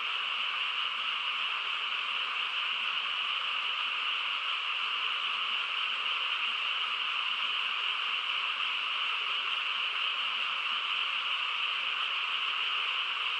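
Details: Quiet rural night with a frog chorus forming a constant, uniform droning buzz, many voices blended together, unchanging in loudness from start to end.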